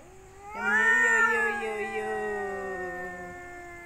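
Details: Domestic cat in mating season, one female with three males, gives a single drawn-out yowl lasting about three seconds. It starts abruptly, swells briefly, then slowly sinks and fades as a rich, nasal wail.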